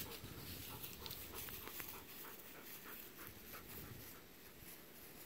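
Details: Golden retriever panting on an October 8 outing in a rice paddy with regrowing stubble, where Kohaku and Ibuki roll about. Fast, soft, rhythmic breaths come under steady outdoor rustle and hiss.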